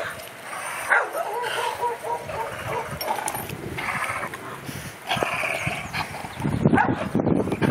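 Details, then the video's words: Two large dogs playing together, with intermittent yips and barks, a few whimpering tones, and a steady background of scuffling and movement noise. "2 Big Dogs At Play Again"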